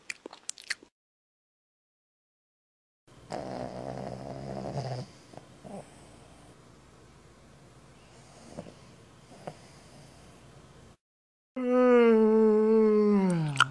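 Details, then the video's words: Pig snoring before a big yawn: a quiet gap opens onto a rough, rasping snore lasting about two seconds, soft breathing noise follows, then a loud sustained tonal yawn with a slowly falling pitch closes the recording. "Snoring Pig Lets Out Big Yawn"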